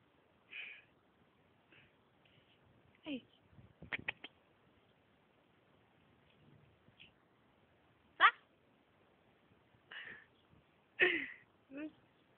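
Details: Small kitten held by a young man, giving short high-pitched mews, some with faint harmonics, scattered irregularly about every few seconds, between a man's coaxing Greek speech and brief handling noises.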